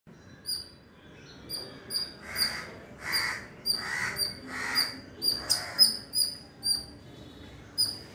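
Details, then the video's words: A squirrel, puffed up and ready for combat, gives shrill, repeated alarm chips, a call used to ward off predatory birds; the owner suspects it is protecting its young from crows. "Squirrel Making a Shrill Noise"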